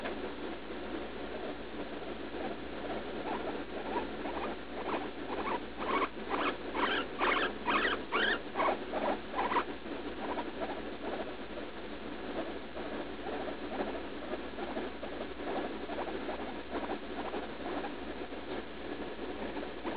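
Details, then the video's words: Leslie, a roughly three-year-old guinea pig in daily bathroom pain after eating lettuce, gives a burst of rapid, evenly spaced squeaks midway through, with quieter chattering before and after. "Guinea pig in pain while pooping"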